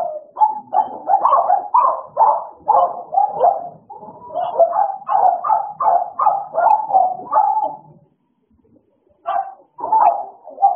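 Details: Two American Bullies, Idol and Alice, at play: a dense run of gruff, mid-pitched barks and growls tumbling over each other for eight seconds, a short silence, then more yappy barks.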